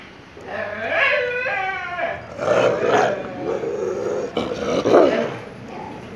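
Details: Street dogs arguing at a home, four of them sharing the yard: loud, harmonic whining howls that rise and fall, followed by rough growling bursts in irregular bouts, close and dominant.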